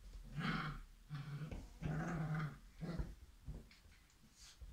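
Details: Irish setter puppies play-growl during energetic play indoors. The growls are low and rumbling and come in repeated bursts of about half a second, several in a row, with a softer whine-like sound near the end.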